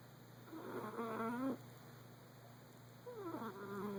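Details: Stewie, a Persian cat asleep and dreaming, lets out two drawn-out wavering moans, the first rising at its end, with a quiet gap between them against a constant low hum.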